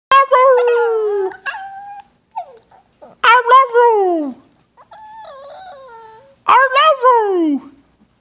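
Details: A Shih Tzu gives drawn-out, sliding howl-whines that fall in pitch while the owner coaxes it to say "I love you", sounding like an attempt to talk.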